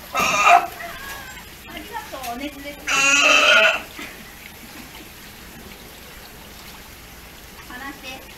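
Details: At Ise Sea Paradise, the nearly one-year-old male sea lion pup Hinata demands attention with a short harsh cry, then a longer, louder, rough bleat lasting about a second; a person murmurs in the background.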